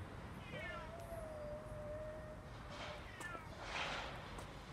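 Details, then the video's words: Distant yowling from two male cats, Siamlock and Naomi, fighting outdoors on a late afternoon, 16 February 2018. A long, steady, drawn-out wail holds level for about two seconds over a background hiss, followed by fainter higher wavering cries. "Kitty Anne hiding behind a powerful quarrel 喧嘩を後ろから覗く赤毛の子猫"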